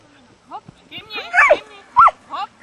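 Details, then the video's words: Border collie Tery during agility training gives short, high, excited yelps and whines. They come in about five separate bursts, some sliding up and then down in pitch, with the two loudest near the middle and end. "Border collie Tery - agility training"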